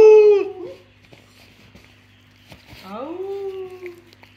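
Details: Pet Basenjis playing together indoors: a loud, high, wavering yodel that falls away quickly, then after a quiet gap a second rising, then level, drawn-out yodel. Faint background music and a person's voice.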